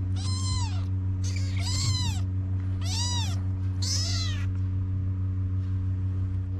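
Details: Kittens in Morocco crying for Mama the cat to nurse them, giving four loud arched mews about a second apart, each rising then falling, then quiet with a constant low hum underneath.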